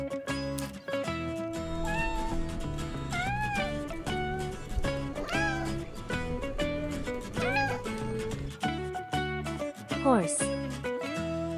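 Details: Cat (Felis catus) gives about five rising-then-falling meows, roughly one every two seconds, over steady background music.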